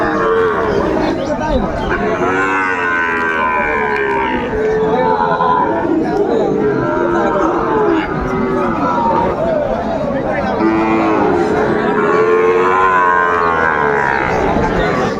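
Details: A market chorus of cattle in Tangail, Bangladesh, on 2 May 2024, among Sahiwal and Friesian bull calves: continuous overlapping moos with wavering pitch, some short and some long, over steady crowd chatter.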